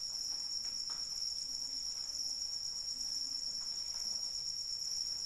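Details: Crickets calling during rain: a steady, high-pitched continuous trill rings without pause over soft patter of falling raindrops.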